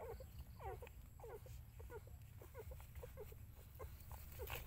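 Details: Mother dog tending her puppies; short, high, squeaky whimpers repeat in quick, uneven bursts, several per second at times, over a steady low rumbling background.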